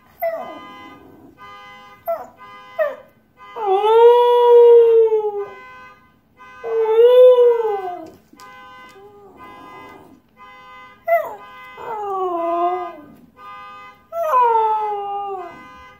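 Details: Husky howling at a car alarm: short yelps lead into two long arched howls, then a run of quick falling whines. The sustained multi-tone alarm drones throughout.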